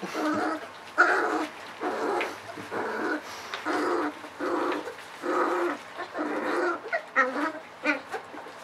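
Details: Ava's pups, 3.7 weeks old, at evening feeding time on puppy mush. A strong opening yelp leads into a run of repeated whining cries about a second apart, ending in shorter yips.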